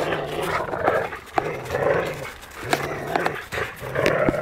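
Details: Two Labradors in Vilnius disagree over a stick, city dog Bytas taking it from old friend Maksas; rumbling growls repeat in short bursts with sharp clicks and panting between them.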